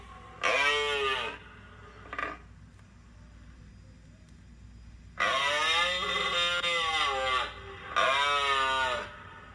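A moose gives loud, nasal, drawn-out moaning calls, with short pauses between them.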